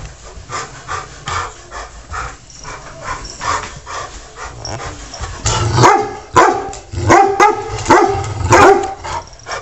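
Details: Pet dog Taz picking on the cat Sky at home; soft panting and muffled grumbles give way after six seconds to a run of louder, sharp barks spaced roughly half a second apart.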